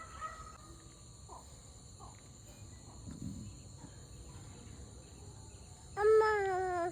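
A fox gives a loud, tonal, wailing howl near the end, after a few quiet seconds.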